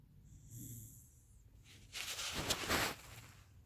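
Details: Loud snoring from a Shiba Inu: a soft low exhale, then a harsh, hissy, rasping inhaled snore of roughly a second, fading into quiet breathing.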